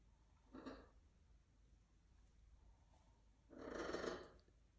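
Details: A pet raccoon living indoors in a house gives two breathy, grumbling calls around bedtime, a brief one and then a longer, rougher one three seconds later, against a quiet background.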